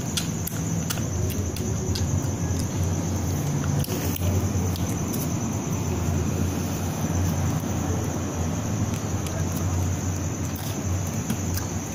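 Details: Low rumbling vehicle or wind noise dominates, with a steady high-pitched whine running throughout. Faint speech may be present, but no animal sounds can be picked out.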